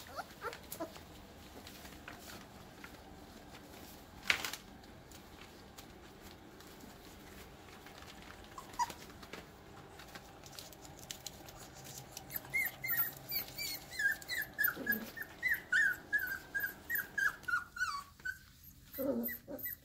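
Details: Airedale Terrier puppies, a litter of nine purebreds almost five weeks old, at play after breakfast; a quiet stretch of soft knocks gives way to a rapid run of high, thin yips and whines in the last seconds.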